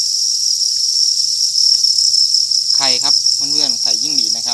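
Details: Crickets on a cricket farm keep up a continuous, piercing high trill without pause, while a man starts talking over it for the last part of the recording.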